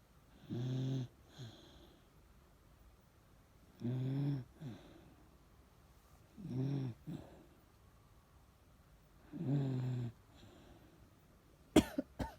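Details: Chage, a Miniature Dachshund who has grown old, snores while sleeping. Four throaty, rattling snores come at uneven gaps of about three seconds, a couple with a short after-breath, and sharp clicks sound at the end.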